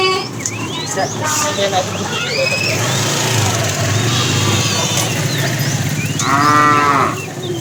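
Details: Fat cow in a tame herd being driven in the afternoon, calling the female: a short, harmonic moo near the end, after a stretch of rumbling, vehicle-like noise and scattered bird chirps.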